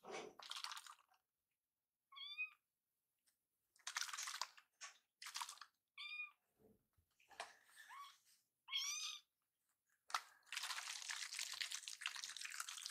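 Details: Rescued foster kittens Noboru and Yuzuru, two playmates indoors; high, short, slightly rising kitten meows come in scattered single calls between bursts of rustling, scratching and handling noise.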